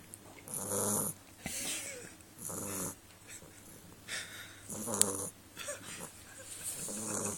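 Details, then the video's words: Choobie the Beagle sleeping, with loud rasping snores that repeat about every one and a half to two seconds, each a noisy rush of breath with a low rattling undertone, in a quiet indoor setting. "Choobie The Snoring Beagle"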